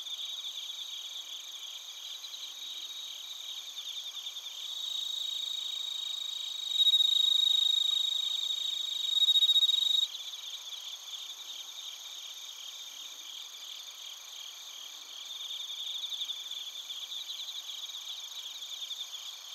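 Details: Bell crickets and crickets calling in Narita, Chiba Prefecture, Japan, TASCAM Portacapture X8 recording; steady high pulsed trills about four per second, with a louder pure ringing tone swelling in the middle before the chorus settles back.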